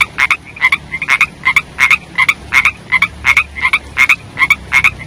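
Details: Rainy-season chorus of young frogs: quick, evenly paced croaks, each a brief twangy pulse, repeating almost three times a second with occasional overlapping notes from a second caller.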